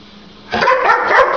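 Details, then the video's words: A house dog that hates the middle finger gives one long, rough, growly bark-like outburst after a moment of quiet, loud and sustained to the end. "Dog Hates the Middle Finger"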